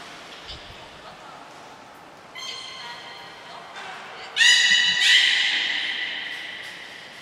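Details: Beluga during training at Port of Nagoya Public Aquarium, Gray and Mirai, 15 June 2022: faint harmonic tones build to a bright stacked whistle, then a stronger slightly falling whistle that fades out, in a reverberant indoor space.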